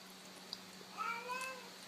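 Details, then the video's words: Domestic cat giving a short, soft meow as a greeting, a faint rising-then-falling harmonic tone lasting about half a second, answered by a person repeatedly saying hello in a quiet indoor room. "Funny Cats Saying Hello"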